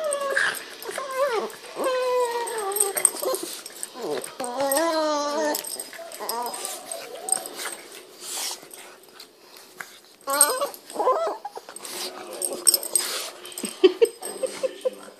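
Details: Pet Boston Terrier playing indoors with a Pug, making odd noises: wavering, whining whimpers and short yips with rising and falling pitch, in bursts over several seconds, while a person talks in the background.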